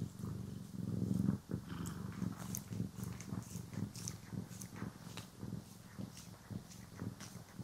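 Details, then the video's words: Pet cat purring while being brushed and groomed, captured in stereo: a loud rumbling burst at the start, then a softer continuous purr under quick repeated brush clicks and scratches. "CAT ASMR | Purring, Grooming & Brushing"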